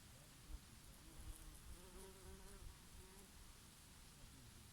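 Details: Bees foraging on oregano in summer give overlapping droning hums, bending gently up and down in pitch over a few seconds. Soft wind rumble and scattered low thumps sit beneath the buzzing.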